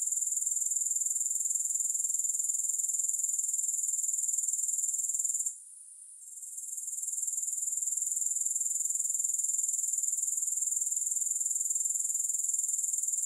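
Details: Grasshoppers sounding with no music: a steady, very high, shrill trill pulsing about four times a second, broken by one short silent gap near the middle.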